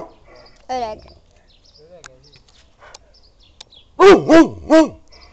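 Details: Aged Kuvasz of the Hungarian breed sounding a warning only: one short, strained yelp-like note early, quiet scattered clicks, then three loud, deep barks close together at the end.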